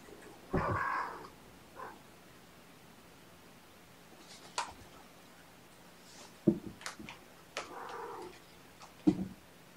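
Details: Sleepy foster kittens waking gently from a nap indoors on weigh-in night, 16 June 2018. Two soft, harmonic meows, one near the start and one near the end, separated by quiet with scattered clicks and rustles.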